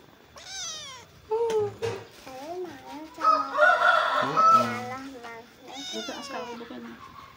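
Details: Tejo, a pet cat, meows repeatedly in a series of clear, wavering calls that rise and fall in pitch, some short and some drawn out, with a louder cluster midway and human voices nearby.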